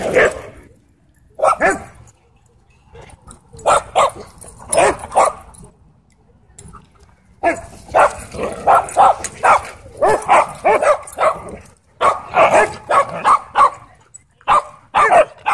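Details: Excited dog at a dog park barking in rapid, irregular volleys, sharp bursts clustering after a short lull, with some background voices mixed in.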